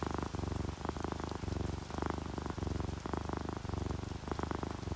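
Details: Sleepy domestic cats, orange tabby and calico, give a steady low vibrating purr in rhythmic pulses about twice a second, while soft rain patters throughout.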